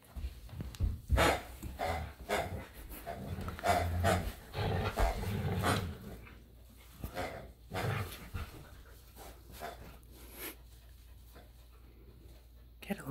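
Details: Luma the Samoyed chases Zuko the Keeshond around the yard over a hedgehog squeaky toy. Rapid grunting growls and panting fill the first eight seconds, then fade to quiet.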